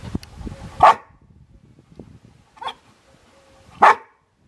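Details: Golden Retriever–Border Collie mix dog whose toy is stuck in a bucket barks sharply twice, about three seconds apart, with a softer bark between them and quiet shuffling indoors.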